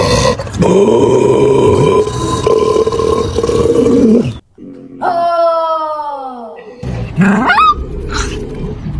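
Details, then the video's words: Dog making strange, eerie noises compared to a horror film. A steady droning howl lasts about four seconds, then after a pause a clear falling, cry-like howl, ending with a short rough yelp. "Los perros con sonidos raros"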